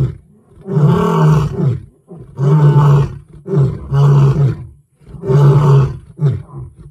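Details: Lion roaring in deep, drawn-out bursts about a second long, four main roars separated by short pauses, with rough low rumbling and groaning tones and no other sounds.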